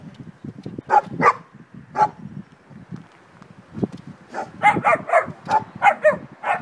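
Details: Beauceron giving scattered single barks, then a quick run of about eight sharp barks in a row, with low thumps and murmur underneath.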